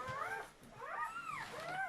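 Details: A newborn German Shepherd puppy, one of seven delivered in a whelping, whimpers in three quick arching whines, each rising and then sliding down, in a nasal, harmonic squeal.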